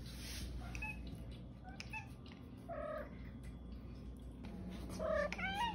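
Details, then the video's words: Pet female cat indoors giving short meows that sound like "okay", two rising-falling calls about two seconds apart, with a person saying "okay" and soft background music. "Talking Cat Says Ok"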